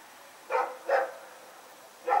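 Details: Night barking from Rex the dog as he runs around, September 21, 2018; two quick barks in succession, then a third starts after a pause.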